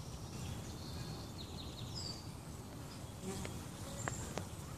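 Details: A swarm of honey bees clustered on a bare branch after leaving their hive makes countless wingbeats merge into a deep, steady, rumbling buzz. A few faint high chirps and clicks sit above the drone, with some rushing background noise.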